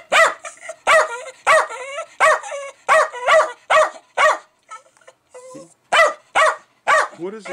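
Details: Jack Russell Terrier barking furiously at fermenting beer, perhaps reacting to the bubbles or escaping CO2: rapid series of high, sharp barks in quick succession, a brief pause with a whine, then more barking.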